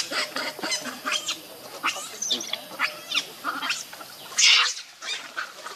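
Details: Hungry baby monkey Leo, missing its mother, keeps up a steady run of harsh, harmonic wailing cries, roughly two per second, with a loud hissy burst near the end.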